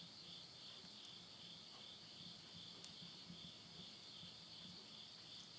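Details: Countryside insects at midnight, Tottori, Japan, September 2020, end of summer: a dense, constant high trilling in twin bands, while a stove fire crackles with a few loud pops near one and three seconds.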